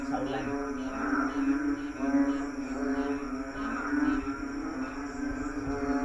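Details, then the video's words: Numerous frogs calling together on a lawn at night, a dense droning chorus of deep nasal croaks with rhythmic pulses rising and falling roughly once per second. "Frog orchestra in our lawn,sleep tight ,sound of nature"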